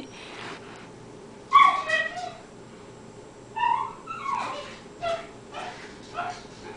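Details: Cairn terrier excitedly watching a squirrel in roughly eight inches of winter snow; rapid high-pitched yips and whiny barks in two clusters, several sharp notes each, over a low steady hum.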